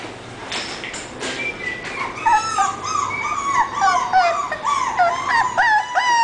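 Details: English Bulldog puppy whimpering and whining: after a quiet, noisy opening, high wavering cries start at two seconds and repeat quickly and irregularly, some rising and falling, continuing to the end.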